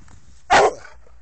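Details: American Staffordshire Terrier named Sam giving a single short, loud bark lasting about a fifth of a second, broad and harsh, with quiet background before and after.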